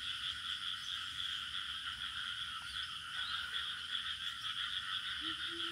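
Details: Crickets in village ambience: a dense, unbroken high chirring band over a lower steady trilling layer, likely frogs in the same chorus; a brief low rising note near the end.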